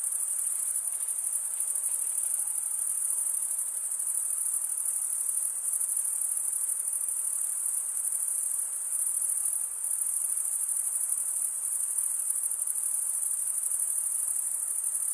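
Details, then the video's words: Chorus of chirping crickets, mostly males stridulating with their wings; a bright, sustained high-pitched ringing trill continues evenly, with a brief dip in loudness near the tenth second. "cricket sound"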